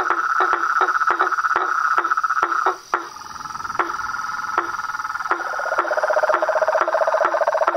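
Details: Frogs, toads and tree frogs chorusing in nature. Fast repeated knocks ride over a droning trill that briefly drops away near the middle, then a lower pulsed rattle rises as the chorus returns.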